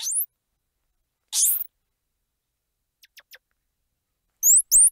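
Squirrel monkey giving very high, thin chirps and a brief shrill squeal in short bursts.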